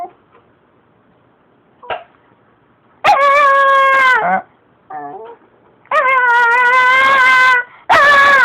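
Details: Shiba Inu begging urgently for more treats, sounding like a protest: after a quiet start with faint yips, three long, steady, drawn-out whining howls of about one to one and a half seconds, plus a short wobbling whimper between them.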